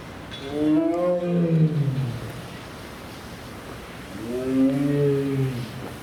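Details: A restless male tiger at Tennoji Zoo, filmed 14 November 2018, gives two deep, rumbling roars, each swelling and fading over about two seconds.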